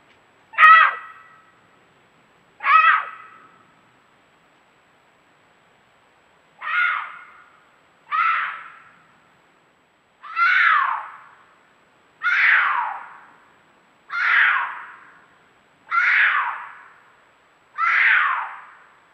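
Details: Two cougars at night in a canyon of the Angeles National Forest call out to each other, harsh, shrill, piercing caterwauling screams repeated every couple of seconds, before meeting up in courtship.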